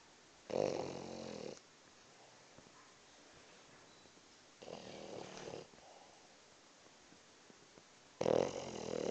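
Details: A French bulldog napping snores in slow, rasping breaths, each lasting about a second.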